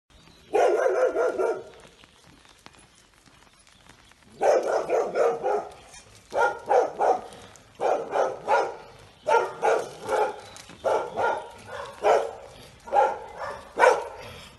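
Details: Barking from one of two anxious, somewhat out-of-control Weimaraners, a female of nearly ten named Frida and her seven-year-old son Sauro, at a home in Rovereto near Trento, Italy: one long burst, a pause, then a run of loud barks roughly every second.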